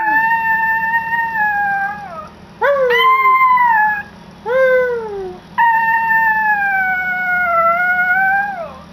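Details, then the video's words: Pet Yorkie howling: a long steady tonal note fading downward, two shorter falling howls, then a sustained wavering howl of about three seconds, clear and harmonic against a low constant hum. "My yorkie loves howling"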